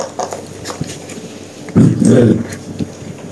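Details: Two-month-old puppies indoors, playing with their first squeaky toy; a short, low rumbling growl swells for about half a second, with scuffling paws and small rustles around it in a small room.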